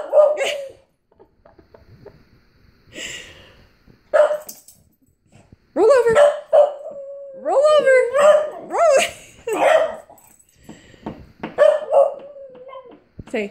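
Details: Dog whimpering in drawn-out, nasal whines that rise and fall, some with sharp upward sweeps, coming in several bursts with short pauses between them, while a person talks softly to it.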